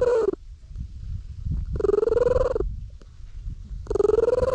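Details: Stray cat sitting solidly in the middle of a road while being petted, filmed on a GoPro: three drawn-out, slightly rising tonal meows about two seconds apart, with a soft rumbling purr running low underneath between them.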